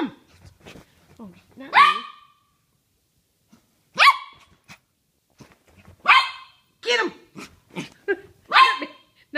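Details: A Poodle barking in play, with a second dog nearby. Loud, sharp barks repeat at irregular intervals, mixed with a person talking in Dutch throughout.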